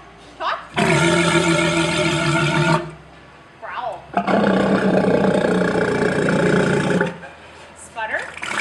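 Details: A walrus (Odobenus rosmarus) gives two long, loud, harmonic bellows, each lasting two to three seconds, with a pause between.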